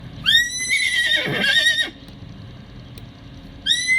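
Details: A miniature horse (Equus caballus) gives a high, quavering whinny that rises sharply, then holds and breaks roughly.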